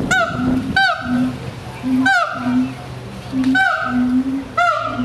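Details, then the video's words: Siamang vocalizing in a rhythmic sequence: short, nasal, honk-like barks sliding downward, each followed by a low resonant boom, about five calls in quick succession over a faint background drone. "Siamang Vocalization"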